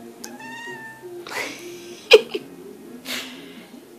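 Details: Female kitten talking in her sleep indoors: a short, thin, tonal mew lasting under a second, then soft breathy rustles and a sharp click, with a person calling to her nearby.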